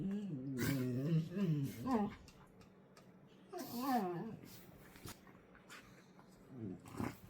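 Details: Two pet dogs playing and wrestling, making strange dinosaur-like noises: wavering, warbling growl-moans rising and falling in pitch in bursts around one and four seconds, with a shorter rising whine near the end and some rustling.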